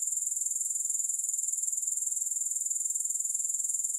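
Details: A shrill, evenly pulsed trill of grasshoppers, rapid rhythmic buzzing holding steady throughout, with nothing else audible.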